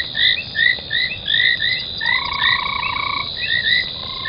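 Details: Frogs near a foam nest at Gowrie dam, Djuma Game Reserve, South Africa, on a January night: rising chirped notes about twice a second with a softer sustained trill joining midway.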